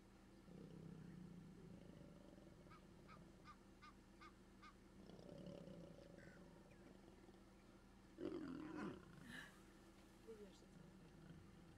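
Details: Mating lions in South Africa's Kruger National Park, observed on safari; low rumbling growls rise and fade twice, followed near the end by a sudden loud, harsh snarl, with faint bird chirps and steady background hiss throughout.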